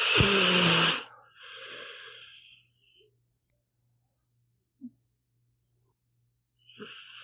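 A sleeping pit bull snores with loud, wheezy, raspy breaths and short snorts between quiet pauses.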